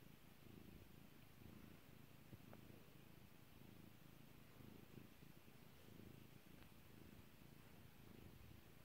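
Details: Purring from a pet cat called Kairi during petting, a deep vibrating rumble that swells and eases about once a second, with a faint click or two in the background.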